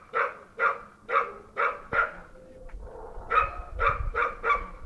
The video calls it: Bull Terrier barking all day